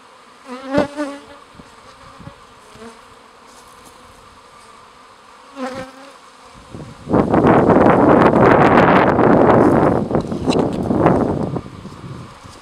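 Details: Honey bees at a hive at Le Rucher de Queyras, Guillestre. Single bees buzz past in brief droning fly-bys, then from seven seconds a loud, dense, steady rushing hum takes over until near the end.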